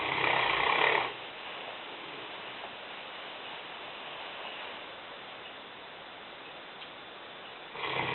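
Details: Sleeping in the kitchen, Lena the Newfoundland, a 150-pound female aged five, lets out a harsh, rattling snore lasting about a second. A long quiet pause follows before the next snore begins at the very end.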